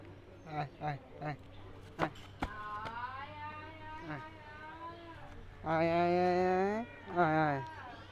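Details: Kittens and cats meowing in turn: quick short chirpy mews at first, then thin level calls, ending with two strong, drawn-out wailing meows, the first held about a second.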